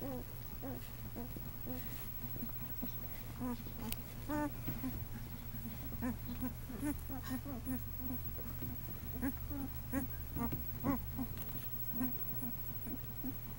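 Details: Day-old Great Dane puppies, a litter of boys weighing 2 lbs apiece at birth; soft scattered squeaks and short rising-falling whines continue throughout, with occasional louder cries and a constant low hum underneath.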